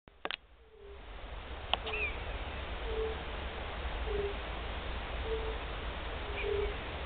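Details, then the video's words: European fire-bellied toad (Bombina bombina), first call heard this year, 29 March 2014: after a few sharp clicks at the start, soft low hooting notes repeat about every second over a steady background hiss. "Pierwszy odgłos kumaka nizinnego."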